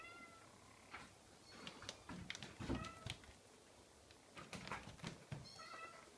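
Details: Scottish Fold kitten producing a few faint high mews, partly drowned by tapping, clicks and handling noises that dominate the middle of the recording.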